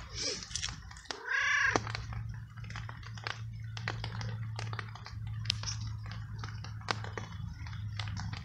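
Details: Wet stray cat outdoors in the rain, unsheltered, being fed treats and kibble after following its helper; one clear harmonic meow rising then falling near the start, followed by crisp crunching clicks of eating over a steady low hum.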